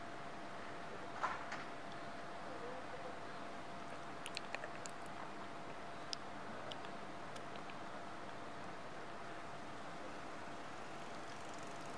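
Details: Quiet indoor background hum with a steady faint tone, a few scattered soft clicks and taps, and no animal voice heard.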